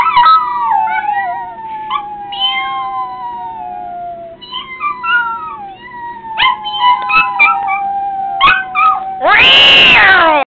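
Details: Litter Bug, a Yorkshire terrier, howls when people meow at him: wavering, sliding howls that fall gradually, with short yips and squeaky breaks between, ending in a loud harsh burst.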